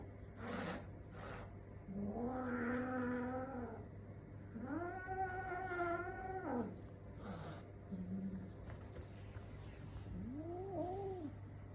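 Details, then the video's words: Cat making strange sounds: long, drawn-out, wavering wails of about two seconds each, rich and nasal, then short low moans and a brief rising-falling cry at the end, over a steady low background hum. "Cat making strange sounds"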